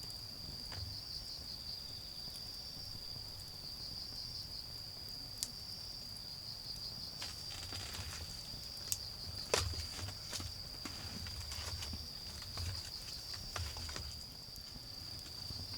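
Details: Autumn insects sing during a garden bonfire: a continuous high ringing tone overlaid by short pulsed chirp bursts repeating every second or two, with sharp crackles of burning wood and a low hum of far-off cars.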